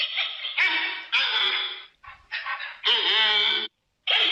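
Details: Giant panda voicing loud, drawn-out squealing bleats in several bursts, some wavering in pitch, broken by brief silences.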